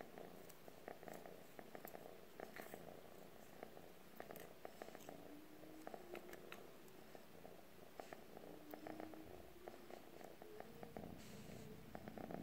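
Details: Calico cat purring to a stick, a continuous low rumbling purr with a fine pulsing texture throughout, short faint tonal glides drifting upward in the middle range, and scattered light clicks and taps.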